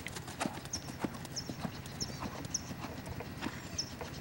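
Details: Clip-clop of Lavrador, a Lusitano stallion: brisk, clear hoof strikes repeating several times a second, crisp knocks over a low background hum, with brief high chirps scattered throughout.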